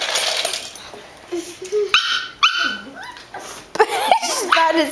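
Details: Poot, a female pug, plays fiercely at attacking another dog to show she is the boss; bursts of high, sliding whines and sharp yelping barks rise and fall, over background music and people talking.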